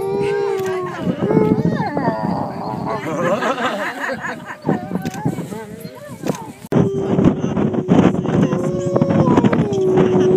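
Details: Two captive gray wolves, Nuka and Tala, at the UK Wolf Conservation Trust howl together in long, drawn-out tones that slide and waver, their voices layering over one another.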